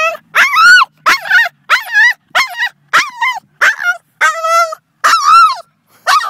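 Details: Excited male Boston Terrier getting worked up as he nears another dog, giving loud, shrill, wavering whine-yelps in quick succession, roughly eleven cries in six seconds, each rising then falling in pitch.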